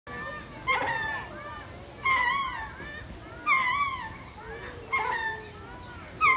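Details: Lemur howling in loud, rich harmonic calls that rise and then waver downward, five calls repeated roughly every one and a half seconds, with quieter calls between them.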